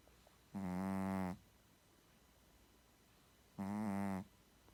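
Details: Loud, rumbling snores from a sleeping Shih Tzu, two drawn-out buzzy breaths nearly a second long each, three seconds apart, nothing else audible.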